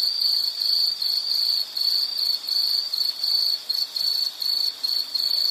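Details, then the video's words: Insect chirping in distinct high-pitched bursts, roughly two per second, each a short rapid trill separated by brief dips in loudness. "Sound · Nature Sound of nature sounds scenery L · insect"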